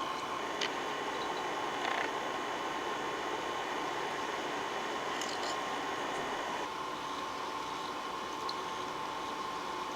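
Steady broadband hiss and low hum with a few faint clicks; no animal voice is present.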